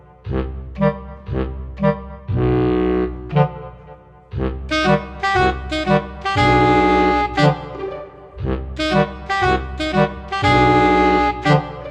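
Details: Jazzy saxophone and brass background music in short bouncy phrases and held notes, with no animal sounds.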